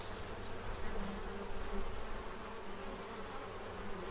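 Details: Numerous bees feeding to prepare for winter in Central Illinois; a constant low buzzing hum with short nearer wingbeat tones flickering in and out.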